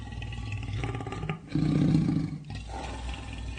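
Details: Real lion roar: a low rumbling growl building into one loud, deep roar in the middle, then fading to a continued rough rumble.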